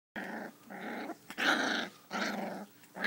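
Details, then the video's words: Five-week-old sheepadoodle puppy growling while play fighting indoors; four harsh, buzzy growls about half a second to a second long, separated by short pauses, the third loudest. "5 Week old Puppy Play Fighting"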